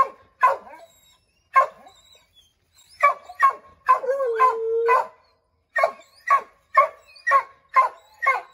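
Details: Pack of five Redbone Coonhounds baying at a chipmunk up an oak tree: loud, irregular barking, roughly two barks a second in the final stretch, with one sustained howl mid-sequence.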